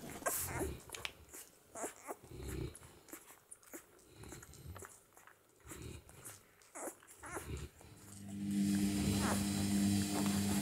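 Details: One-week-old Saint Bernard puppies, the litter of Shanell and Ralf, suckling at the Mas de Jalnot Saint Bernard kennel: short, low grunting bursts come irregularly, then a steady low droning hum takes over near the end.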